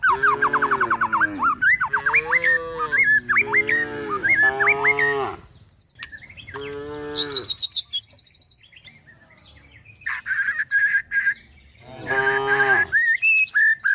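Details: Tame cattle with calves, driven toward a forest and searching for food, low repeatedly in long wavering moos, several in quick succession early, then more after a pause, over steady bird twittering.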